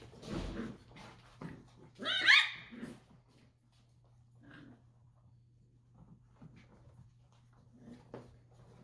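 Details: Dachshund puppies wrestling indoors: a brief bright, harsh yelp bursts out early on among soft scuffles and thumps, then the room falls mostly quiet apart from faint rustling and a low steady hum.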